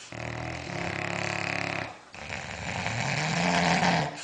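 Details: Sleeping dog snoring indoors: two long, rough, droning snores, the first steady and harmonic-rich for nearly two seconds, the second noisier and swelling before it fades.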